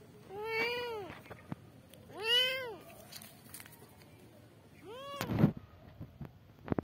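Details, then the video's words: Kittens crying for their mother. Three arching meows come roughly every one and a half to two and a half seconds, followed by rustling and clattering noises near the end. "kittens meowing for mom"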